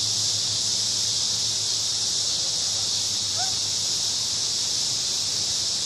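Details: A park at evening, crickets singing in a big cottonwood tree as a constant bright high-pitched wash of sound, steady from start to finish over a faint low hum.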